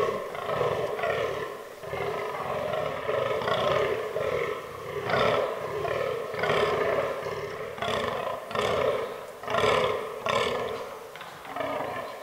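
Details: Autumn rut of fallow deer (Dama dama) in woodland; a buck gives a long series of burping, hoarse grunts, steadily repeated near once per second, with some bursts louder and sharper than the rest.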